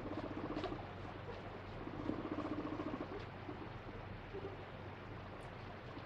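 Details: Free-roaming pet guinea pig screaming while being caught and having its feet wiped in a daily body check; faint, pulsed low tonal cries repeated rapidly in short bursts, with rustling and handling noise throughout.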